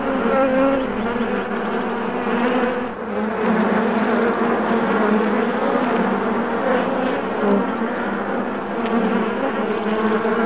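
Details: Many bees humming together, recorded July 8, 2016: a constant, full buzzing drone with steady low tones layered underneath. It dips briefly in loudness around the third second, then resumes evenly.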